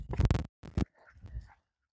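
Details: Nine-month-old German Shepherd during board-and-train obedience work, giving a brief low whine and huff amid heel commands; two short harsh bursts followed by fainter murmuring, then quiet.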